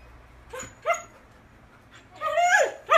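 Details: Golden Retriever left alone at home after its owner drew a bone for it and went out: two short sharp barks, a pause, then a drawn-out whining call that falls in pitch, ending in another bark in a quiet room.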